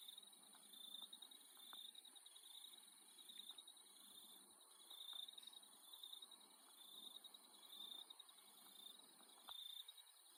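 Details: Australian insects at night form a steady, piercing high trill with a softer, even higher whine above it. A slow, irregular pulse swells and fades, with scattered faint ticks below.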